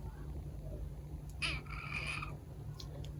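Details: Female short-legged Munchkin kitten, filmed May 2021, with its unusually husky voice instead of a normal meow: a single hoarse, harmonic call lasting about a second in the middle, over steady low room hum.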